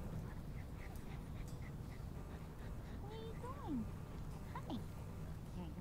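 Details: Four-week-old mastiff puppies Cricket and Bobby give a few thin, curving whimpers, rising then falling, in the second half, over a steady low rumble of background noise.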